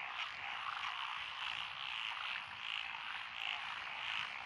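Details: Lotus rice paddies along a rural road in Echizen, Fukui, Japan, 12 June 2021: many frogs of several species, including Japanese tree frogs and Schlegel's green tree frogs, croak at once in an unbroken, gently throbbing chorus.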